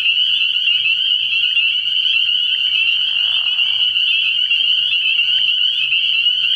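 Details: Spring peepers calling at night early in the year from a frog pond: a dense, continuous high-pitched chorus of overlapping shrill peeps forming a steady ringing wall of sound, with no pauses.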